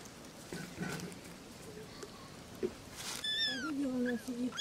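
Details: Kittens playing with their mother cats, meowing for attention; after three seconds of quiet rustling, several high, thin, arching meows arrive in quick succession, with lower wavering cries underneath.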